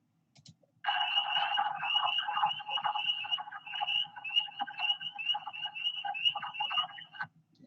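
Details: A dense spring chorus of wood frogs at night, low duck-like clucking quacks, with loud spring peepers peeping high above, during amphibian migration.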